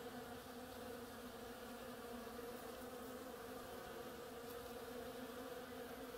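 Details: Busy bees foraging on oriental creeper blossoms make a continuous droning buzz. The hum holds steady in pitch and loudness throughout this short passage.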